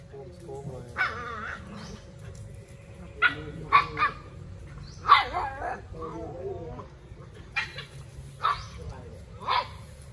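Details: Puppies playing together, giving short bright yips and barks in scattered bursts roughly every second, some with whining tails, over a low steady hum and a faint background voice.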